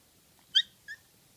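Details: Young pet kitten giving two short, high, sharp cries, a loud clipped 'kya' followed by a softer, shorter one, in a quiet indoor setting.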